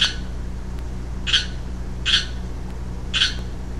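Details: Recorded 15 March 2012, a calling young male Pacific chorus frog utters four quick raspy croaks spaced under a second apart, set against a low mechanical hum.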